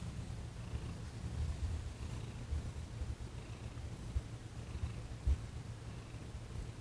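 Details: Quieter, continuous low purr from Thomas the cat while being massaged in a Reiki session, December 28, 2021; an even, deep rumble with occasional faint bumps of handling.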